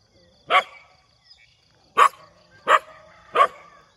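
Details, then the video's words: Morning dog barking: four loud, short barks, the first alone, then three close together near the end, over a quiet background. "หมาเห่า เสียงหมาเห่าตอนเช้า"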